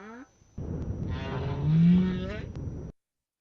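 A North Atlantic right whale gives a low, rising upcall, its typical contact call, over a steady underwater rumble.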